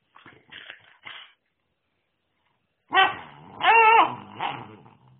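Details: Airedale Terrier puppy giving short yelping barks, a few faint yips early on, then after a pause a louder wavering whine-bark and a final shorter bark.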